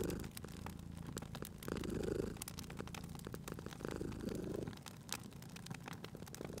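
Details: Sleeping cat purring beside a crackling fireplace: a low, steady rumble swelling and easing with each breath about every two seconds, while sharp pops and snaps of burning wood sprinkle throughout.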